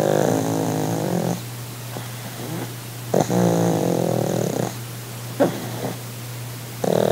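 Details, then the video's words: A pug named Sid, resting on his holiday, makes rough purring snores: grainy breathy bursts of about one to one and a half seconds with quieter gaps and brief snuffles, over a constant low drone. "Sid the Pug in The Purring Pug"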